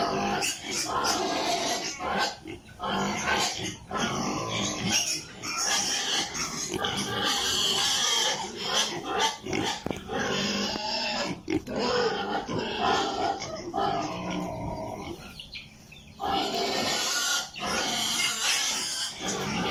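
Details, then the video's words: Many piglets on a pig farm in Italy squealing and grunting together in a dense, nearly continuous chorus of overlapping harsh, high squeals, with short lulls around fifteen seconds and possible human voices mixed in. "Sound of piglets in pig farm"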